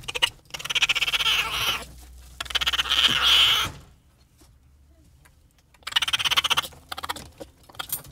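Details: Raccoon calling in two long, fast-pulsed buzzy trills, then a silent pause before a third shorter burst of high chittering pulses.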